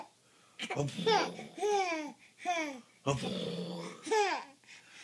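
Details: Siberian Husky giving a string of drawn-out, talking-like howls, each arching upward and then sliding down in pitch, in four main bursts separated by short pauses.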